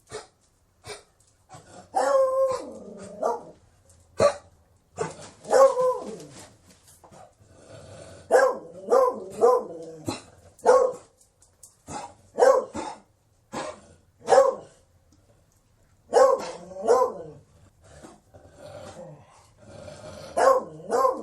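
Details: A Beagle gives a long run of loud barks mixed with drawn-out, sliding bays that rise and fall in pitch, coming in clusters separated by short silences.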